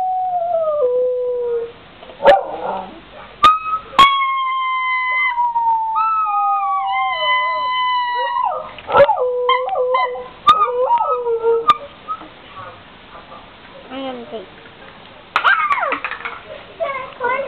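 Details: Domestic dog singing along to a horn, giving long wavering howls that rise and fall, some bending sharply downward, broken by short yips and whimpers, with brief sharp clicks between phrases.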